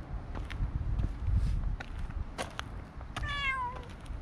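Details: Outdoors on a walking path, amid rustling and clicking handling noises, a stray cat gives one brief downward-sliding meow near the end.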